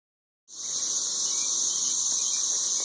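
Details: Thirteen-year periodical cicadas, described as ridiculously loud, in Nashville, Tennessee: a dense, continuous high-pitched droning chorus that starts abruptly and holds steady without pause.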